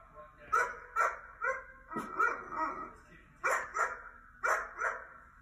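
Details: Repeated dog barking from a laptop, heard by a curious mini goldendoodle; about ten bright, clipped barks arrive in irregular pairs and clusters, each short and harmonic-rich, over a quiet indoor background.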